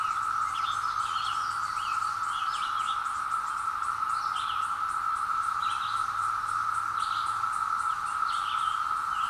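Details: Woodland chorus of periodical cicadas after their 17-year emergence, taped on a hill with a Zoom H2: an even, continuous whirring hum, several birds calling and whistling above, and a faint low hum in the background.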